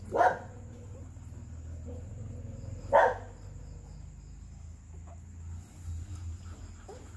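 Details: Two-day-old Golden Retriever puppies: two short, sharp squeaky yelps about three seconds apart, then quieter soft whimpers, over a steady low rumbling hum and a faint constant high-pitched whine.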